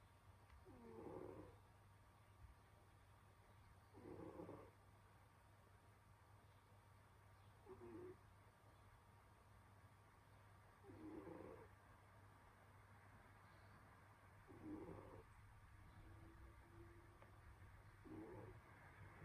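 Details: Snoring from Senyora Betsy, a domestic cat asleep on a winter day; raspy, rattling snores repeat about every three and a half seconds, each a short throaty burst, against a constant low electrical hum in a quiet room.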